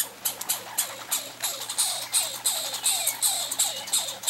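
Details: Two pine squirrels competing for peanuts on a summer vacation, duelling vocally: a fast, harsh chatter of dry pulses, about three per second, each pulse with a high squeaky edge, running steadily without pause.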